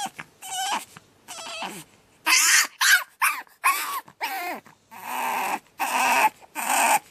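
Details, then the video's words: Young pug on its second night, screaming in a run of loud cries: short wavering squeals that give way to harsher, raspy screams, repeated with brief gaps between them. "Pug Puppy Screaming"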